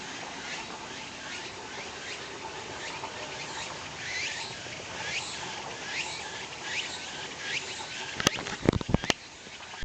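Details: Walker's cicada calling near a parking lot with noisy cars. The chirring phrases sweep downward and repeat in a steady rhythm, several per second, fairly faint. A few sharp clicks and knocks come near the end.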